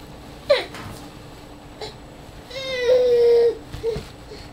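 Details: Young coyote pup learning to move, at times annoyed, 02/03/09: a short sharp yelp, then a long steady whine lasting about a second, and a brief final whimper, indoors with a faint background hum.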